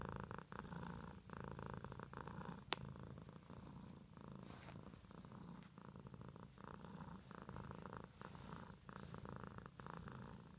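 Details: House cat purring softly, a low buzzing rumble with gentle breath pulses and one sharp click early on.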